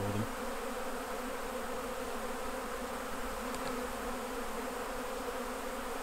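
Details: Honey bees at their hives during a honey harvest, a steady droning hum with strong low bands and an even, unbroken buzz throughout, with a brief click partway through.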